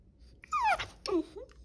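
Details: A dog gives a brief whining cry: a bright, falling harmonic whine followed by a lower, shorter whimper, over a faint low hum.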